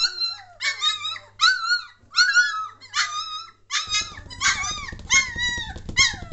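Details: Three-week-old German Shorthaired Pointer puppies, a litter getting lively and noisy, give repeated high squeaky yelps and whines, short rising-falling cries every second or so, growing busier and overlapping in the second half.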